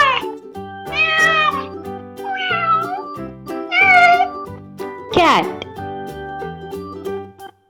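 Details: Domestic cat giving a run of four meows, bent whining calls with the final one sharp and falling steeply, accompanied by light children's music.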